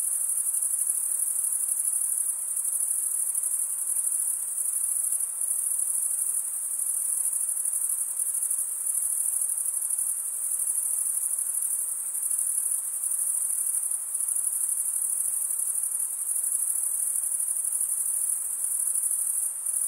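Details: Crickets call at night in a summer forest. A dense, steady, very high trill keeps a rapid pulse for twenty seconds, with small shifts in loudness and nothing else audible.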